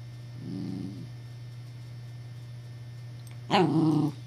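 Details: Puppy Evangeline, alarmed by what she takes for a threat, lets out a soft low growl, then after a pause a single loud, grating bark-growl, over a steady background hum.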